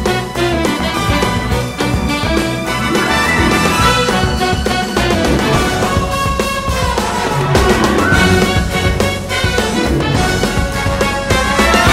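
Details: Lively brass-band music with trumpets and steady rhythm fills the recording, with no animal sounds heard.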